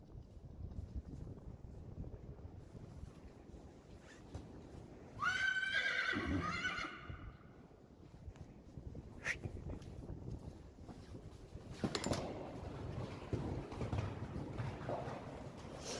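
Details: Friesian horse neighing in a herd where a stallion interacts with two colts. One loud, shrill whinny of about two seconds falls and shudders, amid faint hoof thuds, rustling and quiet outdoor background.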